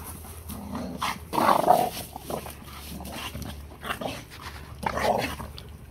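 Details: Pitbull and Malamute play fighting, friends since they were puppies; rough, noisy growling bursts rise near 1.5 and 5 seconds over a steady low hum, with quieter scuffling between.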